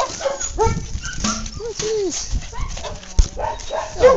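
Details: Two playing puppies, an English Cocker and a Lab named Joe Cocker and Zoom Zoom, give a rapid, irregular string of squeaky yips and whines, some arching up then down, mixed with rough tussling sounds.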